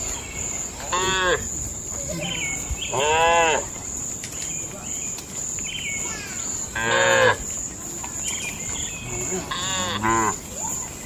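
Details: Night in a cattle shed: four or five rich, harmonic moos spaced a few seconds apart, some rising then falling, over a constant high-pitched whine and softer distant lowing.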